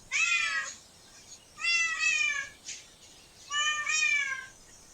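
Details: Cat in a park giving three clear, bright meows roughly a second and a half apart, each rising slightly then trailing off, with nothing else audible.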